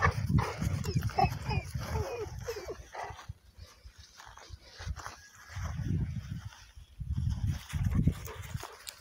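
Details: Cane Corso named Diego giving low, rough growling grunts in dense bursts, a quiet gap near the middle, then three more rumbling bursts toward the end.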